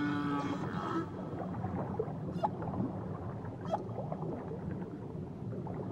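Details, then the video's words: Whale song recorded on a Tahiti journey, opening with a sustained moaning tone rich in overtones, then short rising chirps and clicks scattered through a dense, hissing underwater background. "Nature Sounds Only Whales & Beaches"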